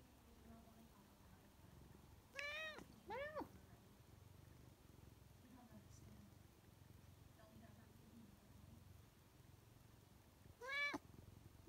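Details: A talkative female Siamese cat (Felis catus) gives loud, drawn-out meows that rise and then fall, spaced apart, in a back-and-forth exchange asking for more kibble.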